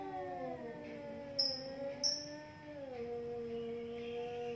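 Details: Two cats face off in a fight, one holding a long steady moaning yowl that drops lower near the end, while a couple of brief high bird chirps sound over it.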